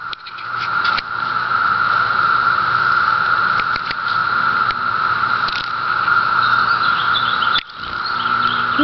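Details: Emerging 17-year cicadas on Cape Cod keep up a continuous, steady drone of massed song, overlaid with scattered clicks and tapping noises close by, with a short dip in loudness late on.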